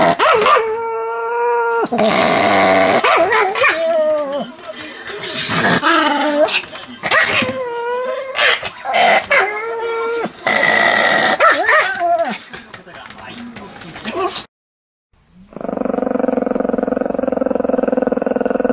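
A Pomeranian barks furiously in rapid, high-pitched yapping bursts, followed by a steady humming tone.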